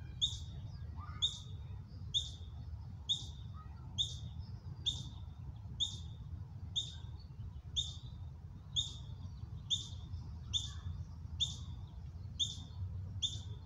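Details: Ground squirrel juveniles, ten or more out practicing foraging and alarm calling in what the mother treats as a drill; short high chirps with a downward tail, repeated about once a second in a steady series over low rumbling background.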